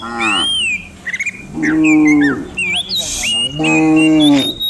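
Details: Village cows running downhill in a herd of dozens each morning; three long, steady, resonant moos, each lasting close to a second, with short gaps between them, while small birds chirp and whistle above.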